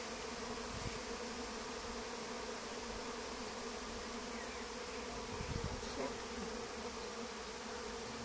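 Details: Honey bee swarm seeking somewhere to settle, perhaps an apple tree, after leaving a colony that lived behind a wall; continuous, even droning buzz of many bees throughout, with occasional faint low thumps.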